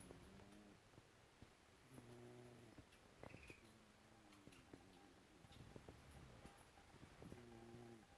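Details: Snowball, a pet cat, snoring indoors: soft rhythmic breaths with a low harmonic rasp repeating every few seconds, faint clicks and room noise around them.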